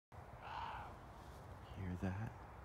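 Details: A Korean water deer by the Anseong River in December, before dawn in pitch darkness, gives a single hoarse, drawn-out falling scream, possibly a mating call or a challenge, followed by a murmur of voices.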